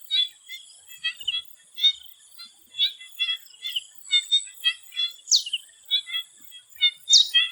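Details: Before sunset in a Thailand swamp, frogs trade rapid pulsed croaks in a crowded chorus; twice a bird cuts in with a sharp downward-swooping whistle, and a constant insect drone fills the background.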